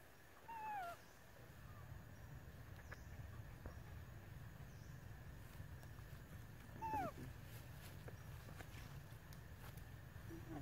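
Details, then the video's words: Flit, a baby monkey in a park, crying for food: two clear whistled cries about six seconds apart, each arching briefly then dropping, over steady low rumbling background noise and occasional light taps. "Baby Flit crying request food, monkey babies begging for feeding"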